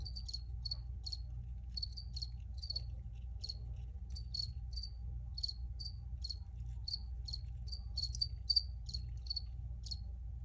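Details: Clean, piercing cricket chirps repeat in short separate pulses, two to three each second, clear above a quiet low hum.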